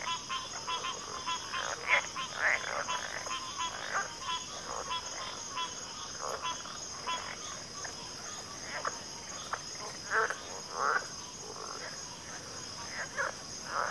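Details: Dense frog chorus in backwater, overlapping rattling croaks rising and falling in loudness, a few brighter chirps standing out, steady insect whine high above.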